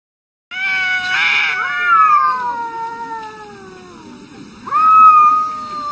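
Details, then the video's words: Cats arguing, one long drawn-out yowl that starts high, wavers, then slowly slides lower for about four seconds, followed by a sudden louder, higher wail near the end. Strongly tonal and rich in overtones over a soft rumble. "Crazy arguing cats"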